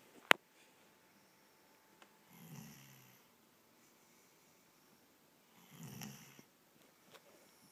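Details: Kobe, a pet dog, sleeping on the couch indoors, snores twice: two soft, low, breathy rasps roughly three and a half seconds apart, each lasting under a second, with a sharp click near the start and quiet room hush between.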